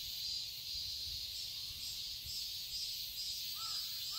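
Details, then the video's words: Garden cicadas in Seoul, Korea, in summer, buzzing in a shrill, steady wall of sound with gentle pulsing; two short curving bird calls appear near the end. "Cicadas chirping sounds"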